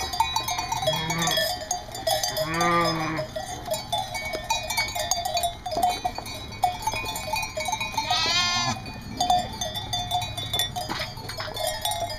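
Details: East Friesian dairy sheep at Karras Farm, a North Carolina breeder, giving three wavering, harmonic-rich bleats spaced a few seconds apart, the last one higher pitched, over steady ringing bell-like tones and background music.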